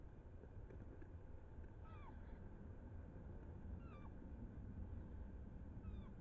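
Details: Roe deer, a young buck and a doe chasing each other, recorded 7 August 2024: thin whistled squeaks sliding downward, repeated about every two seconds, over a steady low rumbling background.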